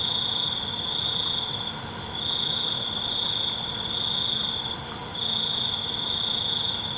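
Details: Crickets at night, offered as calming nature sound: a high, shrill trill pulsing in long bursts of about two seconds with short dips between, over a steady ringing insect chorus and soft low background hiss.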